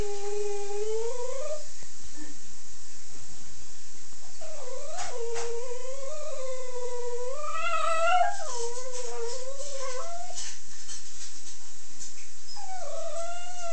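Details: Italian Greyhound whining mournfully indoors in long, wavering, nasal tones that rise and fall in pitch, several drawn-out cries following one another with brief gaps and faint shuffling noises.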